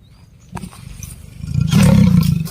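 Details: Leopard caught by forest officials after roaming in Rangareddy near Narsingi, Hyderabad; a deep, rough growl rumbles low and swells louder in its second half, with handling knocks at the start.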